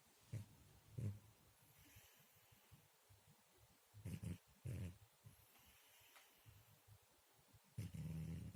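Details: A cat snores softly while asleep. Short, low, grating puffs come in uneven pairs and singles, separated by quiet gaps, and a longer rasping breath comes at the end.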